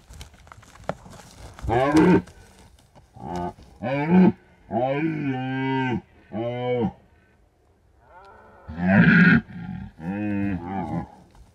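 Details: Night recording of red deer rutting in Bucovina's mountains, hunting-shy animals calling near a drop rig; repeated guttural, grunting roars of varied length, a sustained bellow near the middle, then more harsh bursts after a short pause.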